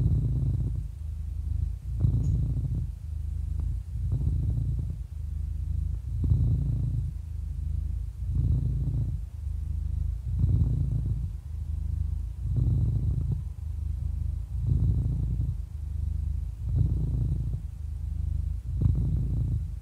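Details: Happy eleven-year-old cat purring steadily, a low throbbing hum that intensifies into brief rasping surges about every two seconds, roughly ten in a row, nothing else audible.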